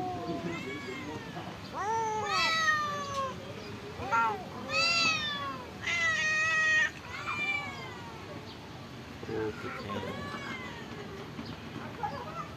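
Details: Several homeless cats living at a pagoda, being fed rice and fish, give a string of clear, wavering meows about every two seconds, some long and arching, over faint background murmur.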